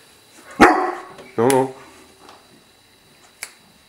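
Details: Nearly fully grown male English Mastiff, still filling out, indoors after a door is closed: one sharp bark, then a second deeper, longer bark a second later, followed by quiet and a faint click.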